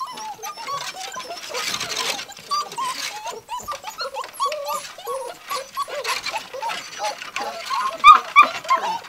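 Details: Litter of six-week-old Gordon Setter puppies tearing up a living room. Many overlapping whimpers and short rising squeals run continuously over rustling household noise. A few louder, sharp yelps stand out near the end.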